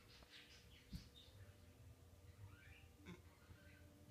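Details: A female Boston Terrier, scolded after chewing her new dog bed, cries with soft, high, squeaky whimpers that rise and fall in brief bursts.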